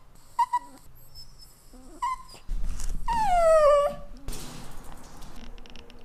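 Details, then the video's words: Crying pet dog indoors in the morning, waiting to be fed breakfast: brief high whimpers, then a loud, drawn-out whine that falls steadily in pitch for about a second, followed by rustling and faint room noise. "MY LOVELY DOG WAS NASTY AND CRYING"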